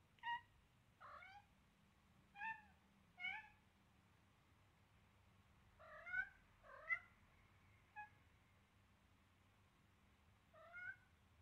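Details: Seven-week-old Siamese kitten meowing loudly while playing roughly with a duckling; about nine short, clear mews in irregular bursts, some close together in pairs, over a low steady hum.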